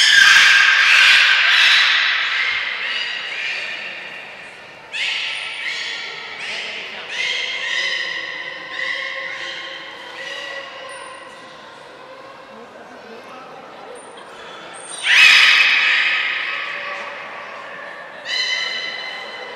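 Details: Belugas at Port of Nagoya Public Aquarium, all animals joining a training session on 2 April 2023, giving a series of rich, harmonic squawking calls in bursts, some sliding, with thin high whistle blips and a loud burst near the end, indoors.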